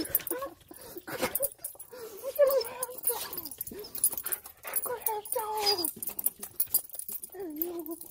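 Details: Joyful crying from a Siberian Husky reunited with its owner after a week left home alone: wavering whimpers that bend up and down and come in uneven bursts, mixed with soft yips and breathy noise.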